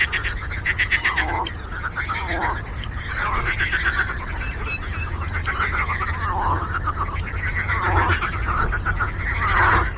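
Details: Frogs croaking on a lake, a dense chorus of rasping, pulsed calls that surge louder in several waves and grow stronger toward the end, above a low continuous hum.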